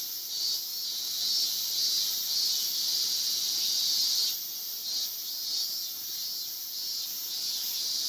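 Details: Male Yabukiri katydid (Tettigonia orientalis) perched on a guardrail in Iwanuma, Miyagi, Japan, 20 August 2021, sings a high, continuous buzzing trill that surges and eases slightly.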